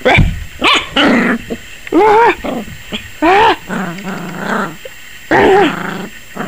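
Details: ["Yorkshire Terrier puppy, 21 weeks old, barking wildly and apparently scared of the camera: loud, yappy barks with rising and falling whiny tones, several in quick bursts, with a woman's voice between them."]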